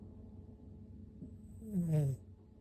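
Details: Sleeping six-month-old toy poodle puppy Oru-kun gives a single droning snore near the end, low and slightly falling, rising out of soft quiet breathing in a hushed room.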